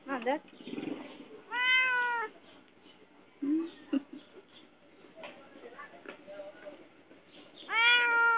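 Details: A shut-in cat calling for help utters two strong, long, wavering meows with bright harmonics and a shorter cry near the start. Soft human voices and faint shorter meows fill the gaps.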